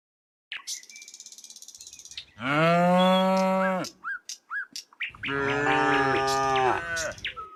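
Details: Dozens of tame cows walking along a quiet rural road in green countryside; two loud, sustained moos, each over a second long, with short chirping bird notes between and during them.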